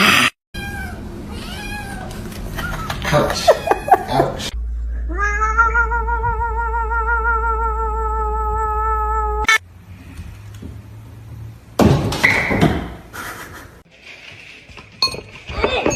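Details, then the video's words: Kitten crying: a long, steady, drawn-out meow holds for about five seconds, preceded by several shorter wavering meows. Abrupt cuts, knocks and rustling noises fill the gaps between calls. "kitten meowing crying"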